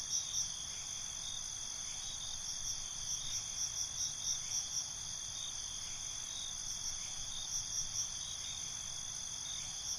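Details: Crickets calling at night: a steady high shimmering trill layered with several bands, broken by scattered bursts of sharper, higher chirps near the start and middle, over a faint low background hiss.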